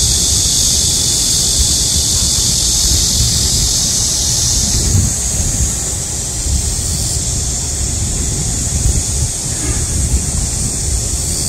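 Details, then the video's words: Loud midsummer cicada chorus in a heatwave, a dense, intense high buzzing wall of sound that shifts pitch slightly partway through, with a faint low rumble beneath. "한여름 매미소리 - 데시벨이 엄청 나네요"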